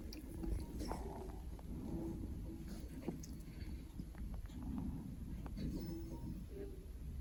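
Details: A sleeping male Norwegian Forest Cat snores softly, with scattered clicking and grinding of teeth.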